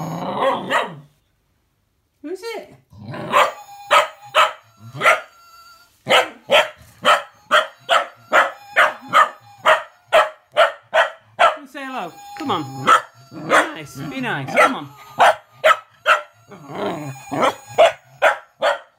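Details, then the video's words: Cocker spaniel puppy barking, grumbling and howling at a whistling Gizmo toy; long bursts of sharp, fast barks, some yelping and grumbling sounds, with the toy's whistle tones and brief human speech. "Cookie The Puppy Meets Gizmo.....And Goes Crazy!"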